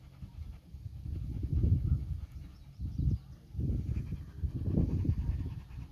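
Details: Dogs named Nix, a Labrador, and Lola, a husky/shepherd mix, tangle with Happy, a dachshund. Deep, rough growls surge in about four bursts over six seconds, with scuffling between them.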